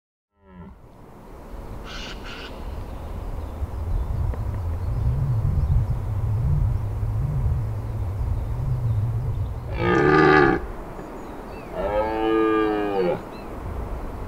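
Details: Red deer stag bellowing during the 2023 rut in the Massif de l'Aigoual: a long, low, wavering groan, then two loud, harsh roars with rich overtones near the end, plus a short higher call early on, over faint wind.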